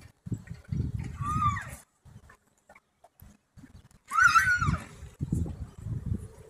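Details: Stallion leading away two mares, heard neighing twice, about three seconds apart: each a shrill, quavering whinny that falls in pitch and lasts under a second. Thudding hoofbeats and low rumbling movement fill the gaps.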